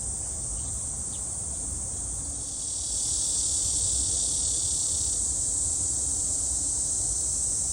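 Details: Cicada song at Gwangalli Beach in South Korea: a sustained, very high, sizzling drone that swells noticeably louder partway through, with low rumbling ambient noise beneath.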